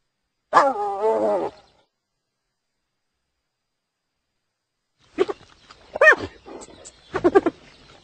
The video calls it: Hyena Sounds